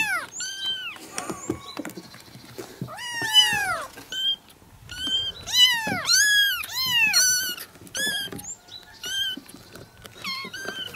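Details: A chorus of kittens meowing simultaneously, dense overlapping high-pitched mews and longer wavering meows packed closely together with barely any pause.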